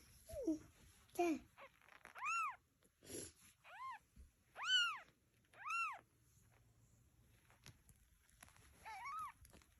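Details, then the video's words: Cat and kittens indoors: a run of repeated arched meows, some high and thin, others fuller, mixed with low squeaky calls and brief handling sounds, then one last meow after a pause. "Cat And Kittens Meowing"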